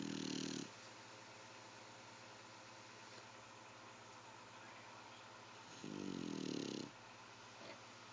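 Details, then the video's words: A pet dog snoring, described as sounding like a human: two loud, rough snoring breaths about five seconds apart, one at the start and one near the end, with a steady low hum of room noise between them. "My daughters dog snoring lol"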